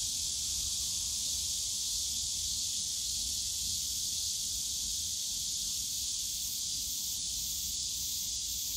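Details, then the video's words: Summer cicada chorus in the bamboo forest at Yongsan Family Park, a continuous shrill buzzing wall of sound that never pauses, with soft low-frequency park background noise. "용산가족공원 대나무숲 매미소리"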